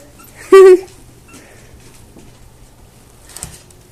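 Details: Havanese puppy giving a single short, loud, high squeak with a strong tonal ring, lasting about a quarter second, followed by near quiet with faint background rustling and a soft thump near the end.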